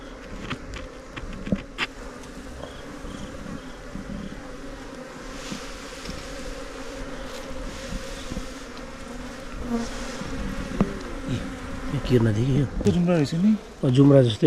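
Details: Himalayan mountain honey bees during honey hunting, a steady low droning buzz throughout with a few sharp clicks, rising in loudness near the end where wavering voices or music join in.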